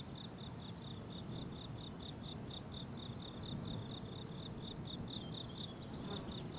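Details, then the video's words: Chorus of crickets in a flowering summer meadow, rhythmic high chirps about twice per second, several callers overlapping slightly out of step, with quiet low background noise. "Relaxing Cricket Sounds on a Summer Meadow"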